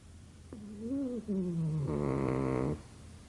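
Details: A pug sleeping and snoring: a sliding, whistly nasal tone that drops in pitch, followed by a loud, rattling, buzzy snore of under a second, then quiet.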